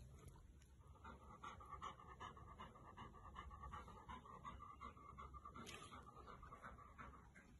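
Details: Labrador Retriever before a bath, panting rapidly and evenly, about two to three quick breaths each second, with faint background hiss.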